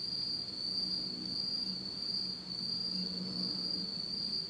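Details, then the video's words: Autumn night chorus of insects in Japan, recorded in complete darkness: continuous high-pitched ringing trill that pulses gently in loudness, over a faint low hum. "真っ暗闇の秋の虫の声 Beautiful sound of insects in the fall of Japan in total darkness."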